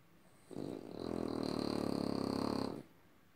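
A French Bulldog gives a raspy, rattling snort lasting about two seconds.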